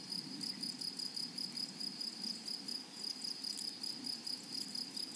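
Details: Meadow grasshoppers in chorus, a continuous high-pitched pulsing buzz ticking along in quick, regular beats, with a thin, faint overtone above and gentle rustling ambience below.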